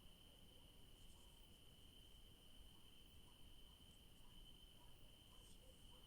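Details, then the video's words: Crickets calling in an evening garden where yellow daisies grow; a sustained steady high trill runs throughout, with a few faint short ticks in the background and low rumbling noise. "Sounds of crickets in the garden in the evening"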